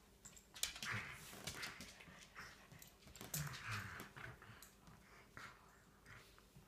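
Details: Three Shetland Sheepdogs playing boisterously early on a Sunday morning on a deck, giving low growls and whimpering grumbles in overlapping bursts, with scuffling and thumps between the sounds.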